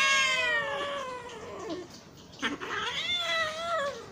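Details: Hungry domestic cat meowing: two long drawn-out harmonic meows, the first starting high and sliding down, the second rising then falling, with a brief break between them.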